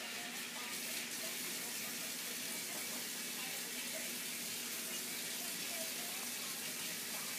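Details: Constant hissing rush like running tap water, with no animal sounds.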